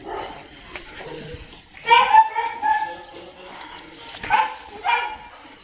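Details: Dog at a dog hostel in Jodhpur, India, recorded 23 January 2022, giving a few short, whiny yelping barks in three bursts over low background noise.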